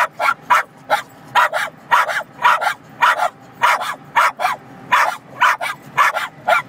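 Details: Several Cairn Terriers barking inside a car on a highway as semi trucks pass; rapid, uneven run of sharp yappy barks, about two per second, with steady road rumble underneath.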